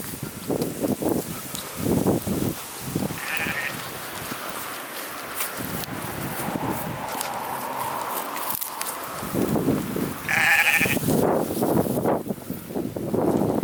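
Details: Sheep waiting for their food bleat in wavering, nasal bursts over steady gusting wind on a windy day in Scotland.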